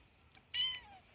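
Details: Domestic cat "talking" for a Victory Day greeting on 9 May 2019; one short, flat, clear meow lasting about a quarter second, fading into a quiet room with a faint click just before.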